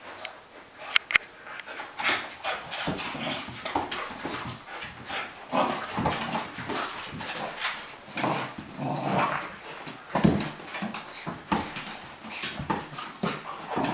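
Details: Play session between two dogs, a Cairn Terrier named Bonzo and a Flat-coated Retriever named Pippi; low rumbling growls and huffs rise and fall in irregular bursts, with knocks and scrabbling in a small room.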